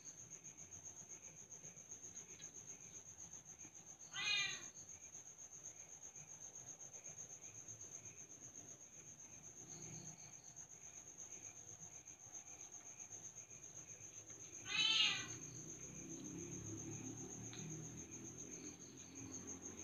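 A young leopard cat utters two short, high-pitched, mewing calls, each a quick wavering cry, spaced roughly ten seconds apart. A thin, steady electrical whine runs underneath throughout.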